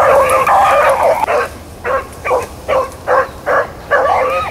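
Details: Running rabbits on April 4, 2013, Blackcreek and Bluetick hounds open with a long, wavering bay, then give a string of shorter choppy barks about every half second, ending on another drawn-out cry.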